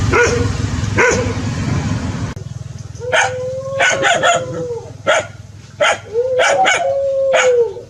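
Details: Dog barking in short sharp bursts, several followed by drawn-out, level, mid-pitched howling tones lasting about a second, against a steady low background hum.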